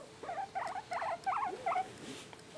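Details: Pet male guinea pig, one of two being stroked, utters a short run of five wavy, warbling squeaks about a third of a second apart, then falls quiet over faint room hiss.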